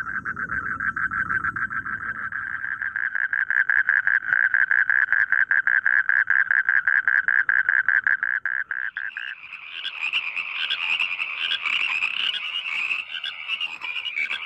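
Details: Frogs singing in rice fields: a dense run of rapid, mid-pitched croaking pulses that builds and then stops. A higher, buzzier chorus takes over near the end, with some low rumble at the start.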